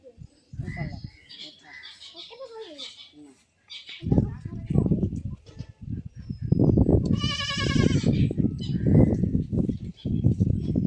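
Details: Goat bleating while being castrated in a village, loud distressed cries overlapping with people talking nearby, a high wavering bleat standing out in the middle of the noisy handling.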